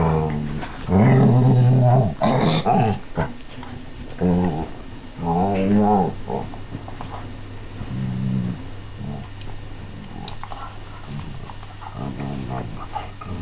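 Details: Airedale Terrier on a bed on a Sunday morning, playing with a sock and disturbing a sleeping man; low rumbling growls in several bursts with whiny, harmonic rises, over a steady low hum indoors.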